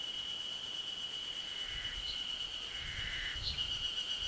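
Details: Spring chorus of Ezo harusemi cicadas on a 900 m forest ridge in the Ashiu primeval forest, May 2012: a continuous high ringing whine, with a fainter lower buzzing strand and soft low thuds partway through.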